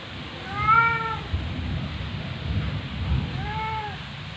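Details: Female cat in heat, inside a home in September 2020, vocalising toward her owner: two clear, slightly falling meows about three seconds apart over a low rumbling background hum.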